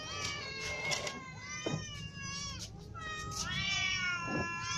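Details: Several hungry cats, kittens and adults including a ginger one, cry together in long drawn meows that rise then fall, overlapping almost continuously, with steady low background noise.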